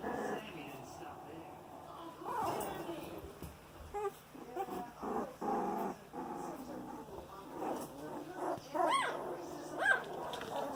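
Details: 18-day-old Boxer puppies moving around fill the air with thin squeaky whines and short rising yelps, broken by low grumbling growls, while a human voice murmurs now and then in the background.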